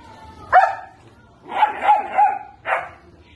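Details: Young German Shepherd puppies aged 70 days give a few scattered high yips: one short bark, then a cluster of three quick barks and a final sharp yelp, with quiet gaps between.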